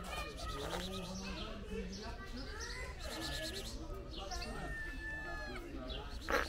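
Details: Kittens of a friendly stray mother cat meowing, several drawn-out rising and falling mews overlapping through the clip, while a person keeps talking over them and street noise hums underneath.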